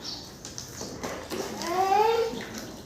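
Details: Goat giving a single wavering, quavering bleat in the second half, slightly rising then falling, over a steady background hiss with faint clicks earlier on.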